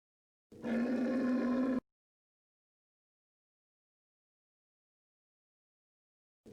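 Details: Short, flat, droning camel bellow of just over a second, followed by several seconds of silence before another call begins right at the end.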